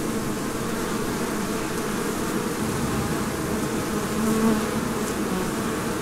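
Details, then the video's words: Swarm of bees busy making honey produces a continuous rough hum of many overlapping wingbeats, even in loudness throughout, with one slightly louder drone near the end. "The sound of many busy bees"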